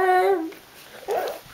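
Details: A dog gives a short, high tonal whine that slides slightly downward over half a second, then a brief, softer whimper after a pause. The sound is indoors.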